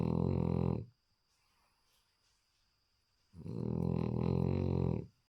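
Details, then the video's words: Sleeping small male French Bulldog snoring: two deep, rough, droning snores about two and a half seconds apart, each under a second or two long, with a quiet pause between and a thin electrical whine in the background. "Französische Bulldogge beim schnarchen"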